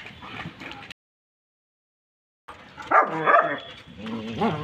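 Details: German Shepherd dog fight: rough, snarling barks and yelps in short irregular bursts, loudest near the end, after a brief silent gap; a voice is faintly heard early on.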